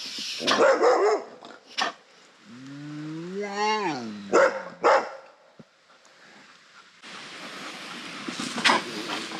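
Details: Asian black bear giving harsh bursts, then a long, rising, strongly harmonic moan that breaks off into further rough barks, with a steady hiss of background noise in the final seconds.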